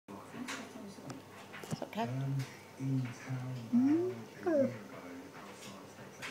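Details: Kavik, an Alaskan Malamute husky, giving a woo chat to its owner indoors: a series of low, drawn-out moaning howls with rising and falling pitch, a few clear sweeping wails, then a person says hello.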